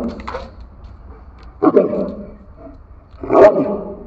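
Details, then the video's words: Dog barking: three short, harsh barks spaced roughly a second and a half to two seconds apart, the last one loudest, over a low steady background hum. "power of dog barking"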